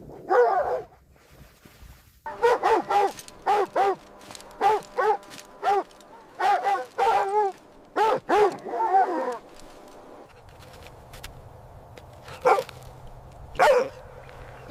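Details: Puppies happily playing with baby rabbits on green grass; a burst of barks, a pause, then a rapid string of yippy barks, some wavering, thinning to a few scattered barks later.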